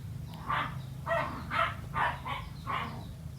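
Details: Domestic cat meowing, a series of six short, tonal mews spaced about half a second apart, each rising then falling, over a steady low hum in the background.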